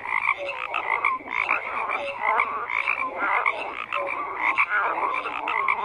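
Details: Dense frog chorus with constant croaking, rapid pulsed rattles and short clear notes overlapping, steady intensity with brief surges.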